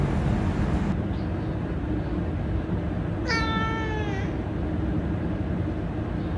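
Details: Domestic cat meow played back from a smartphone to a household of five rescued cats: one drawn-out, slightly falling, tonal meow lasting about a second, over a steady background hum.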